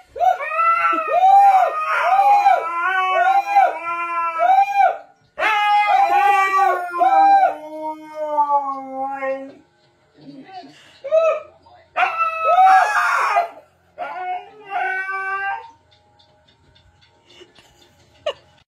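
A Siberian Husky howls in wavering, drawn-out tones alongside a person singing.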